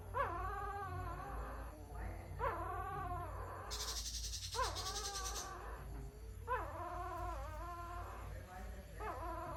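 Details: Puppy crying with drawn-out, rising then falling whines repeated every two seconds or so, each with strong harmonics, a brief hiss in the middle, and a low hum underneath.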